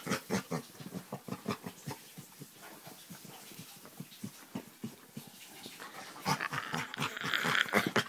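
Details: Chocolate Labrador Retriever making odd noises while being scratched on the back: rapid rhythmic grunting snorts, about three to four per second, steady then louder near the end with rustling.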